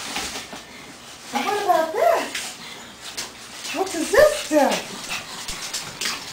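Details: Animated female Pug/Boston Terrier mix asking for a walk, giving two bursts of wavering, whiny yodeling cries about two seconds apart, with human speech in the background.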